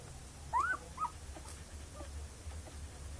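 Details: Collie puppies, one of a litter of seven, five days old, nursing from their mother; two short high whining squeals, the first rising then falling, followed by faint soft whimpers and low background hum.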